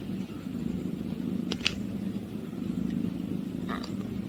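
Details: Eight-day-old Munchkin kitten purring for the first time: a steady, low rumbling purr runs throughout, broken by a few brief clicks and rustles.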